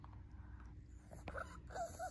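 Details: Lacey, a pet Shih Tzu, 'talking' indoors to ask for more treats: a short run of high, whiny whimpering notes that bend up and down in the last second, after quiet room sounds and soft rustling.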